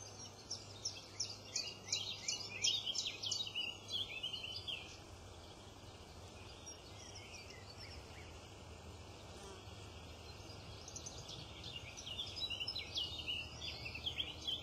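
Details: Meerkats give rapid, high-pitched chirps in quick bursts over a low steady hum at a meerkat garden.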